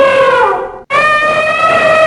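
An elephant gives two brassy, blaring trumpets, the first sagging slightly in pitch, the second held steady.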